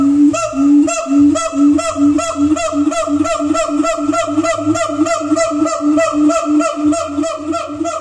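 A siamang gives loud, honking barks in a fast, steady series, over a low droning hum.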